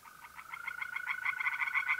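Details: A nighttime April pond chorus of tree frogs in north-east Italy. Brisk pulsed notes, about six per second, grow louder over two seconds, layered on a constant, thin trill from mole crickets.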